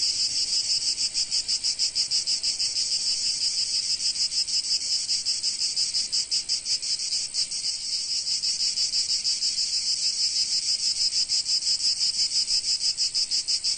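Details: A summer cicada chorus from sunny Provence: continuous shrill, sizzling buzz, rhythmically throbbing about three times a second, steady throughout.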